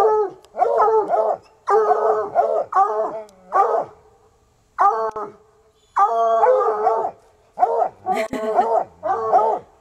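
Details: Two untrained coonhounds, Sunny and Hazard, bay persistently around a car hiding a raccoon; dense overlapping bays and quavering howls from both dogs in quick bursts, with brief pauses between volleys.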